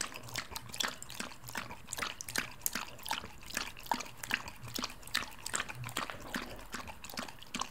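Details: Samoyed dog licking milk, recorded close up: rapid wet lapping clicks, about one every quarter second, steady and sharp, with a soft liquid undertone and no other sounds.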